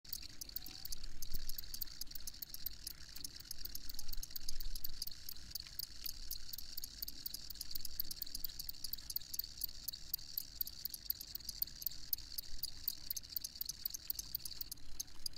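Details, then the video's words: Crickets chirping in a dense, steady chorus of rapid high-pitched pulses, with a constant low rumble underneath. "Crickets Chirping"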